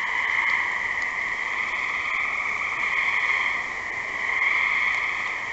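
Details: Chorus of gray tree frogs: many overlapping trilled calls merge into a continuous high buzz that rises slightly in strength near the start and again toward the end.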